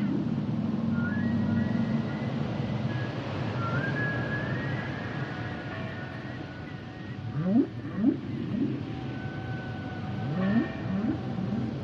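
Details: Humpback whale song with sliding tonal moans and whistles, then bursts of short upswept whoops repeated in quick groups, set against constant low underwater rumble.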